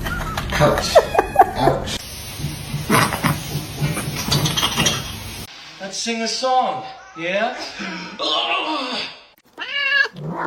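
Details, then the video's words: Cats fighting, drawn-out wavering yowls and meows in the second half, bending up and down in pitch in several separate bursts, following a stretch of noisy clatter and voices. "funny cats fighting"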